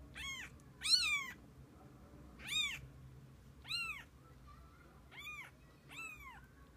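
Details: Mother cat and kittens together through the day; six loud, clear meows repeated roughly every second, each a bright arched cry with strong overtones, sometimes slightly drawn out at the end, over a faint low hum.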